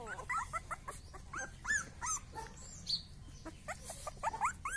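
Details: Rottweiler puppy voice: thin, high, squeaky whimpers and yelps, many short rising-falling chirps close together over a steady background hiss.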